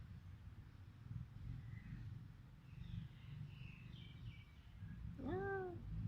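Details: Village cat in Cambodia, filmed on a Samsung mobile phone, gives one short rising-then-falling meow near the end, after several seconds of low rumbling background noise and faint distant chirps.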